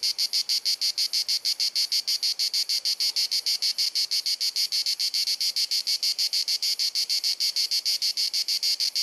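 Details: Incessant cicada chorus of a hot Dalmatian summer afternoon in Croatia, filmed on a compact camera: a dense train of shrill, clicking buzz pulses, about three per second, steady and unbroken for the whole stretch.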